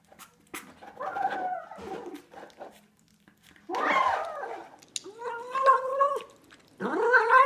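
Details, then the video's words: Domestic cat making weird noises: several short, varied meows and mews, some rough and some clearer and rising, with pauses and soft thumps between. "Crazy Weird Cat Noises"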